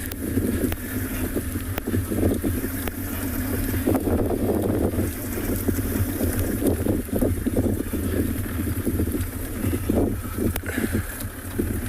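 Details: Steady low engine rumble and gusty wind noise fill the recording, with occasional knocks and rattles. No animal calls can be picked out.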